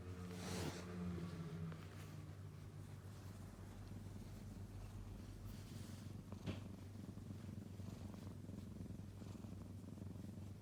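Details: Kitten purring indoors: a steady low rumbling purr throughout, with a brief rustling burst near the start and a soft click partway through.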